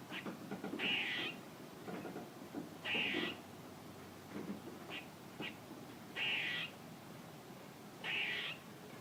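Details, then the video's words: Squirrel giving a series of four harsh, buzzy calls roughly every two seconds, each with a high whistled streak, separated by short clicks and faint chips. "A squirrel making noises"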